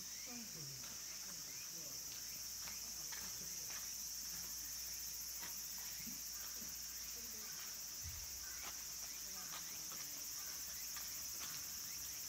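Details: Cicadas near the end of Japanese summer at Kabusanji, a Tendai mountain temple in Takatsuki among green trees, where minmin and tsukutsukuboshi cicadas sing: a dense, unbroken high-pitched hiss holds steady throughout, with faint scattered ticks and rustles beneath.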